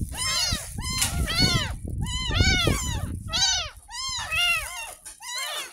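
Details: Ten-day-old kitten, found in a roadside gutter, crying during its first bath at home: a string of arched, harmonic-rich meows repeated about once a second, with water splashing and handling noise beneath.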